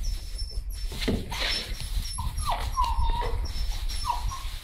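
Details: Puppies playing in straw give short high whines and yips, some with a falling pitch, over constant rustling and crunching of straw.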